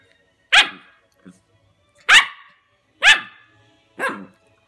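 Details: A 9-week-old male Golden Retriever puppy, trying to grab his own tail, gives four short, bright yipping barks about a second apart, each fading quickly, with a faint tiny squeak between the first two.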